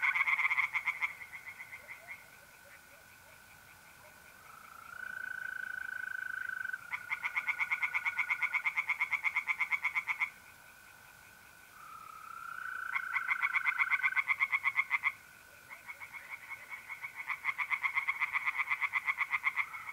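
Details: Night chorus of tree frogs in a north-east Italian pond in mid-April: loud bursts of quick pulses alternate with quieter pauses. Mole crickets trill steadily, and a brief rising tonal note sounds twice.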